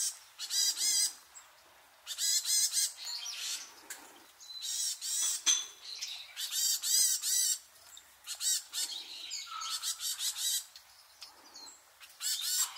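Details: Wild Japanese macaques at Awaji Island Monkey Center in Sumoto, Hyogo, Japan, a troop with babies reappearing just before 3 pm. Bursts of high, harmonic, arching squeals overlap from several animals, coming in clusters about every one to two seconds.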